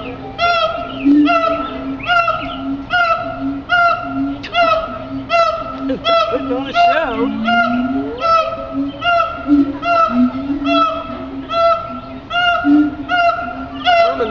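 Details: Captive siamang calling at the Henry Doorly Zoo, a rapid series of sharp, harmonic barking whoops repeated over a steady low droning tone, with a brief swooping wail midway through the sequence.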